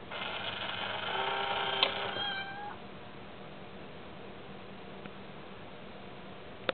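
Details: A pet cat named Mayu, bothered by the tiny kitty in an Itazura coin bank, lets out one long, sustained meow of nearly three seconds. It holds steady, then bends downward at the end. Quiet room noise follows.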